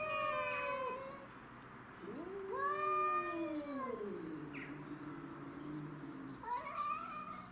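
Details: Domestic shorthair cats defending territory, Tom and Mimi facing a neighbourhood stray; a high yowl, then a low swelling moan that arches up and sinks into a growl, followed by another rising wail.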